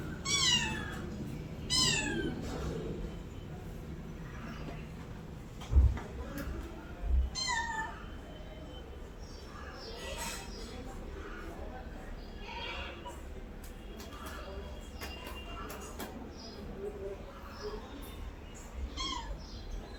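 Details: Pet cat indoors giving a few short meows with falling pitch, widely spaced among soft background noise, a couple of thumps and faint speech.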